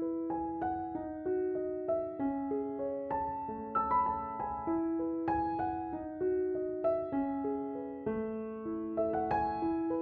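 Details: Gentle piano music plays steadily, with repeated arpeggiated notes and soft chords and no other sounds.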